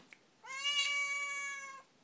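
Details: Talkative Siamese cat complaining indoors, possibly asking for food; a loud, bright, level meow of about 1.4 seconds, slightly rising at the start, preceded by a faint click.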